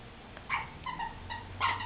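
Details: Golden Retriever puppy from a rescue, playing with two other dogs indoors, gives short high whiny yips and squeaks in quick bursts, three or four within two seconds.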